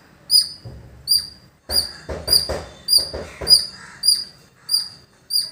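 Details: High, shrill squirrel chirps repeated about every 0.7 seconds at a village, with a burst of rustling, broadband noise in the middle of the sequence.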